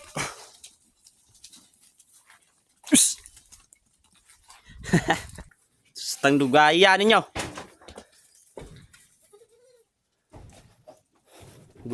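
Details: Hungry goats being herded home to their pen, one giving a loud wavering bleat with a strong quaver lasting about a second, amid a man's repeated spoken urging and scattered footsteps and rustling.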